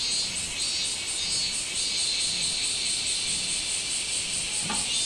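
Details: Minmin cicada recorded 24 July 2016, a continuous high buzzing with quick regular throbs in the upper register and a single sharp click near the end.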